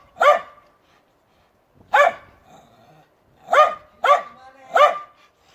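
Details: Dog barking: five single sharp, harmonic barks spaced irregularly, the first alone, then three close together near the end, with quiet pauses between.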